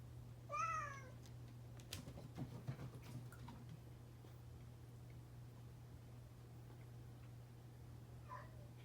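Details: Pet cat Kuu-chan, which has taken to meowing often since its companion Dale escaped, gives one clear, arching, harmonic-rich meow early on and a short, softer meow near the end, with scattered knocks between and a steady low hum.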